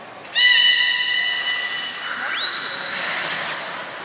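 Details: Aquarium beluga at Port of Nagoya Public Aquarium, public training on 4 November 2018: one steady harmonic tone lasting about a second and a half, followed by a higher whistle that sweeps up and then holds level.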